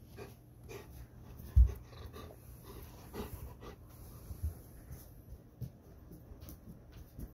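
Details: Eight-year-old Golden Retriever coming to seek affection early in the morning: quiet, breathy panting with soft irregular huffs and one louder snort-like burst near the start, a close indoor recording.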